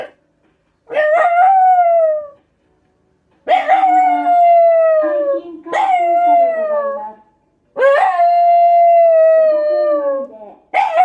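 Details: Black Shiba Inu howling in reaction to a scrap-collection truck driving past. Four drawn-out, slightly sinking howls of roughly two seconds each, with sharp rising starts and a second lower voice beneath.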